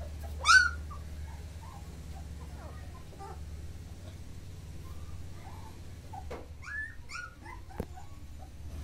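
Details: Mudhol Hound puppies from Mudhol, in Bagalkot district of Karnataka, India, give scattered short, high squeaks and whimpers. One louder yelp comes early, and thin, brief whines are spread over several seconds against a low hum.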